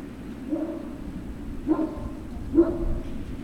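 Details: Great Dane puppies at Puppy Hill, 3 June 2019, afternoon: three short, soft yelping whimpers spaced about a second apart, each a brief harmonic cry, above a constant low background drone.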